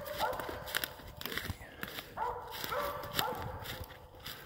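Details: Hunting dog barking while it has a squirrel treed; short tonal barks, three to four in quick succession, with rustling footsteps and outdoor noise throughout.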